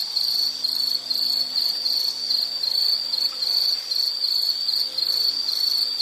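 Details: Insect in a nature-sound relaxation recording: a steady, high-pitched chirring trill that pulses gently several times per second without pause, with no other clear sounds.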